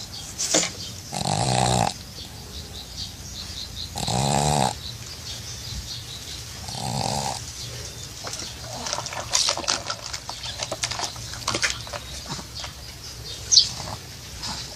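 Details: A pug sleeping at a dacha snores in three rasping, nasal bursts over the first seven seconds, then breathes more softly with snuffles, small squeaks and one sharp click.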